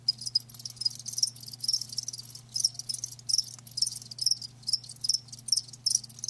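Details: Crickets kept live, heard in chorus: shrill, high pulsed chirps in quick irregular bursts, with bright metallic notes standing out, and a quiet constant low hum beneath.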